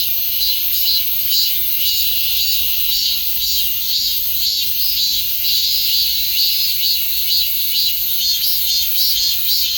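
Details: Steady cicada buzzing, a piercing high hiss throbbing in quick regular pulses roughly two per second, with no other sounds standing out.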